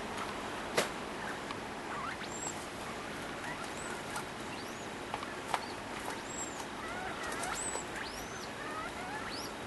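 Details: A degu in heat making advances toward a sock utters soft rising chirps and brief high squeaks spread across the clip, alongside a few sharp taps and low room hiss.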